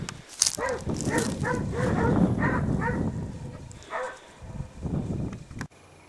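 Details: Several Basset Hounds of the French Rallye de l'Allagnon line trailing scent outdoors, giving bursts of short, ringing harmonic bays about two per second, overlapping between dogs, with brief pauses and a sharp click near the end.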